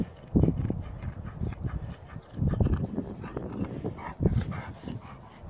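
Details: Deep, low-pitched barks from a Dobermann: three strong booming bursts roughly two seconds apart, separated by softer rumbling sound.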